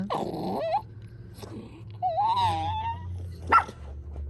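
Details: Chorkie dog (Canis lupus familiaris), a small Shih Tzu–Yorkie puppy by a pool, tries to growl but produces high, whiny, wavering squeaks instead of a low rumble.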